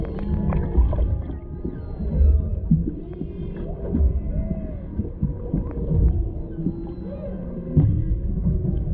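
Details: Underwater humpback whale voices off Maui, Hawaii, where a mother and calf swim near a boat and a male is nearby; smooth arching moans and upsweeping whoops recur every couple of seconds over a deep, rumbling water background, GoPro recording.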